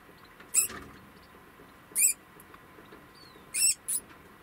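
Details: Degu after giving birth, kept indoors, at night on 26 August 2020. Four short, sharp, very high-pitched squeaks are spaced about one to one and a half seconds apart over faint background hum.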